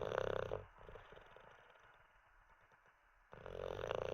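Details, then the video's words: Teddy the Olde English Bulldogge asleep, snoring: a loud buzzing snore at the start, a soft crackly breath, then another loud rattling snore. "Six minutes of a snoring olde English bulldog"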